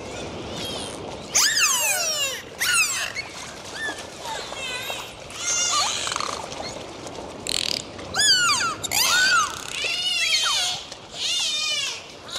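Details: Dolphins recorded underwater on a dive trade high, sweeping whistles that rise and fall, with bursts of rapid clicking between them.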